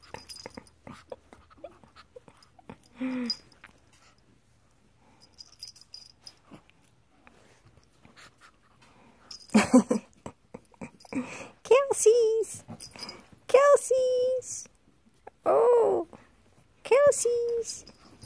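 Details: A Pekingese playing like a pup gives short, nasal whining yips in quick bursts, each bending up and then down.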